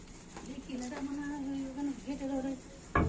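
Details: Pet cat at home giving a long, level meow of almost two seconds. It breaks briefly and resumes, with faint household clatter around it and a sharp knock at the end.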